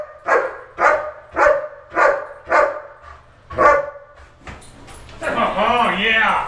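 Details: German Shepherd personal protection dog during a building search, 30 September 2015: seven loud, deep, evenly spaced barks about half a second apart, then a man's praising voice and shuffling over the final seconds.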